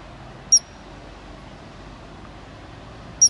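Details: Ground squirrel in Glacier National Park giving two brief, piercing high chirps nearly three seconds apart, with constant faint background rumble.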